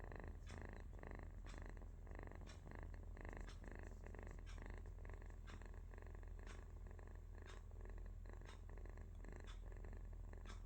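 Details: Cute kitten asleep, its low continuous rumble sounding like snoring or purring, with soft regular breath pulses and light ticking clicks about twice a second in a quiet room.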